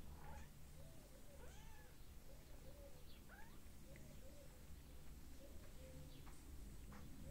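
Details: Cat family with a small mother cat and many little kittens together; repeated short, soft mews, some rising and falling in arched shape, sound over steady low background hum with faint chirps above.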